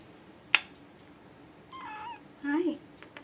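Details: ['Bottle-fed baby kitten, a rescued neonate, indoors; two thin, high, wavering meows about half a second apart, preceded by a sharp tap, with faint background noise.']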